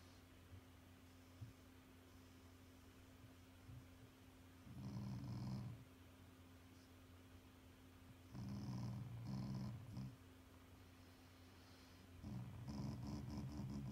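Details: Affectionate, not angry, growling from a pet Shiba Inu: low rumbling grunts in three bouts of about a second each, with quieter gaps between and a steady low hum underneath.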